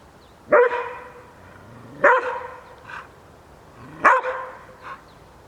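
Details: Šarplaninac dog barking, shown teasing a wolf, in three loud single barks roughly every two seconds, each sharp and harmonic, with a softer echo after each and quiet background.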